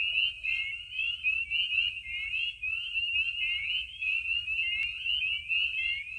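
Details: Loud night chorus of spring peepers at vernal pools in Maine in spring, many high, clear peeps overlapping into a continuous shrill band with rapid repeated upslurred notes.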